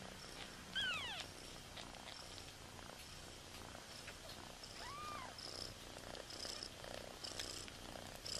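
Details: Newborn kittens left alone by their mother cry out: two clear, loud, arched mews, one near the start and one about four seconds later, with quiet rustling and soft noise between.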